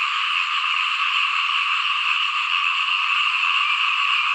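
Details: Dense, even chorus of many small frogs calling together in a rice field, a uniform high-pitched trilling wall of sound with no single caller standing out.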